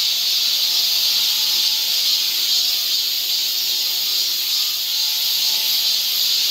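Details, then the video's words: In a Seoul forest in Korean summer, cicadas produce a loud, seamless shrill hiss that pulses gently in strength, with faint steady humming tones far below. "cicada sound"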